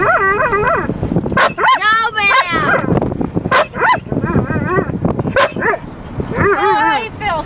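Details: Female pet dog answering back while being scolded: repeated wavering, yodel-like whines and moans that bend up and down in pitch, interleaved with a person's scolding voice.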